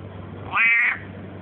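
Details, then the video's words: Talking house cat answering the owner's repeated Russian prompts of "quack"; a short, bright meow that rises briefly and falls away, set between the man's words. "Talking cat!!"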